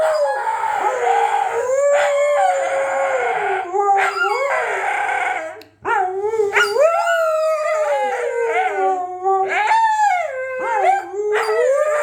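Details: Siberian Huskies howling indoors, set off by their squeaky toy: continuous overlapping voices in long wavering howls that slide up and down, with rising yelps and brief squeals, one short pause near the middle.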